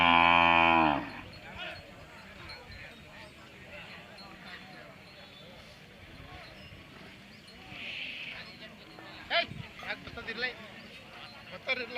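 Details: Hallikar cattle at the Magadi cattle fair 2025 in Ramanagara district: a single loud, rich, low moo lasting about a second opens the clip, followed by steady crowd chatter and fair noise with occasional clatters.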